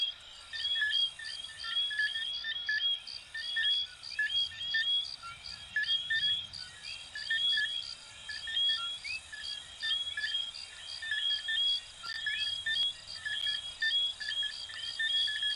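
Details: Coquí frogs of Venezuela and Puerto Rico in a thick chorus, many callers giving brief two-part chirps over and over, some notes bright and high, others lower, over a constant background hiss.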